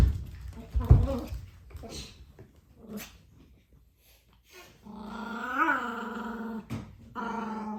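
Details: Pomeranian puppy roaring indoors: low rough growls and snuffles at first, then a sustained wavering yowl that swells and falls, a brief break, and a further steady growling tone.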